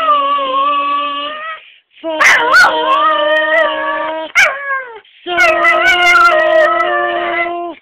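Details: Dog singing along to a scale: long, smooth, tonal howls that hold steady pitches in three drawn-out phrases, broken by brief yips and short gaps, with a wavering higher line near the end.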